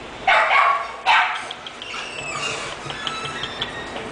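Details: English Bulldog named Yves barking twice in quick succession near the start, each bark short and forceful, followed by softer indoor background noise with faint voices.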